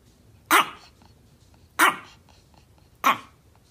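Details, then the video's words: A little Chihuahua barking at a cat, guard-dog style, gives three sharp, high-pitched yaps spaced just over a second apart. "Chihuahua Barking Dog Bark Sounds. Little Chihuahua Barking at a Cat"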